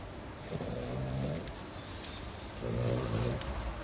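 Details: Sleeping French Bulldog snoring: two low, rattling, humming inhalations a couple of seconds apart, separated by a noisy breathy pause.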